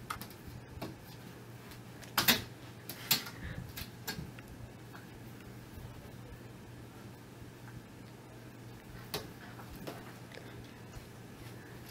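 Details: A quiet indoor room with a low steady hum is broken by scattered sharp knocks and clicks, louder around the second and third seconds.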